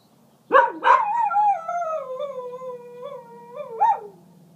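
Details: A small male dog warns coyotes to stay away from the property, giving two sharp yelping onsets that slide into a sustained wavering howl, ending with a brief rising yip.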